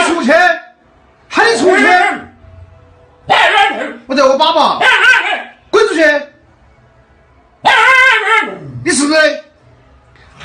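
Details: Siberian Husky vocalizing in loud, wavering yowls and woo-like cries, each lasting about half a second to a second, in uneven bursts with short pauses between them, over a faint low background hum.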